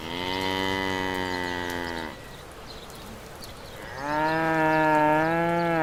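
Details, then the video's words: Domestic cattle lowing: a long, steady harmonic moo lasting about two seconds, a short pause, then a second rising, sustained moo from about four seconds onward. "Farm Animal-Cows/Vache"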